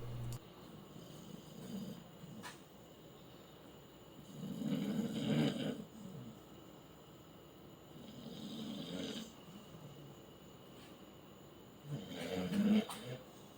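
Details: Ulysses, a pet dog, sleeping indoors in an unusual position and snoring: low, rasping breaths rising in three louder bursts about four seconds apart, with softer breathing between them in a quiet room.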